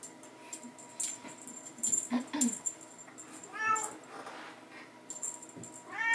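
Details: Bengal kittens at play with a teaser toy alongside their mother in a hallway; two short rising-falling meows, one mid-clip and one at the end, over constant high jingling and rattling from the toy.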